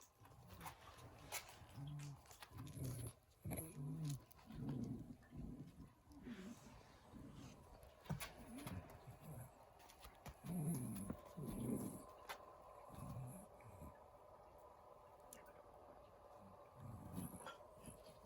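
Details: Shiba Inu Kotaro, a male rescue dog with pollen allergy, reverse sneezing in a series: low, snorting bursts of harsh breath repeated about once a second, with brief pauses between runs and a quiet indoor background.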